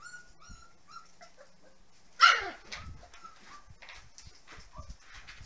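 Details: Six-week-old puppies indoors in 2014: a run of short, level, nasal whines, then one sudden loud, harsh yelp-bark, followed by more scattered whimpers and soft thumps of movement.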